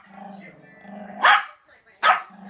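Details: Young Yorkshire terrier, two years old, begging for Christmas ham leftovers, gives two abrupt, loud barks about three-quarters of a second apart while a person talks quietly.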